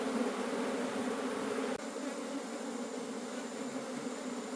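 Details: Buzzing of a wild forest bee colony as its honey is harvested, a thick continuous hum with a brief dip near two seconds before the steady drone resumes.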